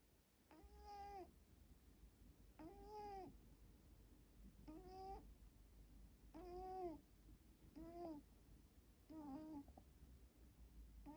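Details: Sleeping middle-aged house cat, one of four in a multi-cat home, snoring with whistled, nasal tones; six breaths in about eleven seconds, each rising then falling, with a low steady room hum beneath.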